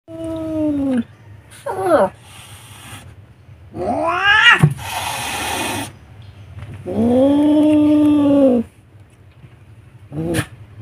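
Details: A very angry Siamese cat, hissing at a dog, lets out long, wavering yowls broken by sharp, breathy hisses.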